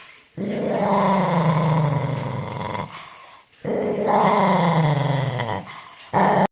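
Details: Angry dog letting out two sustained, harsh growls of about two seconds each with a slowly sinking pitch, a short pause between them and a sharp final burst at the end.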